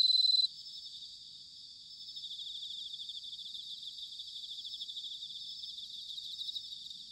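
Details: Bell crickets singing in autumn, recorded in Sanuki, Chiba, Japan, with a ZOOM H6 or TASCAM DR-05X: dense, high shimmering trills with a rapid pulsing beat, one louder pure ringing tone at the start, several insects overlapping continuously.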